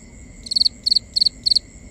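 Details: Crickets chirp after dark: four rapid high chirps, each a quick triple or quadruple pulse, repeated roughly every third of a second over a low, even background hum.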